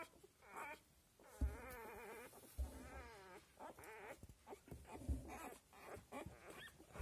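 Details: Newborn Australian Labradoodle litter at seven days old; long wavering whines with a trembling, warbling quality alternate with short squeaks and occasional soft bumps.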